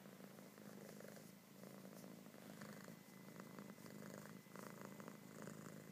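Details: Loud, continuous purring from a kitten that enjoys being petted, a deep even rumble pulsing through each breath, with soft rubbing and rustling noises close by.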